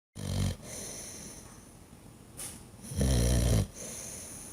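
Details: Sleeping dog snoring loudly: deep, rumbling, low-pitched snores with a rattling texture, a short one at the start and a longer, louder one about a second and a half later, with soft breathing between them.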